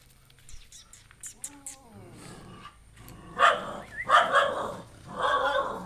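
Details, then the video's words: Pet dog barking at a newly brought-home stray puppy: faint whine-like sliding tones early, then three loud harsh barks spaced about a second apart near the end. "Dog keep on barking at the new puppy, a stray dog"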